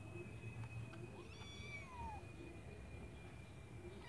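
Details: Kitten in a white bucket giving one clear, high, drawn-out meow that slides downward, rich in overtones, over a quiet low hum and a faint steady whine.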